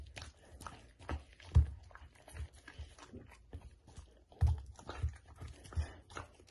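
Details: Pet Samoyed eating steamed chicken in a small room, captured close to the mouth: bursts of crunchy, sticky chewing and biting, with loud bite thumps and short quieter pauses in between.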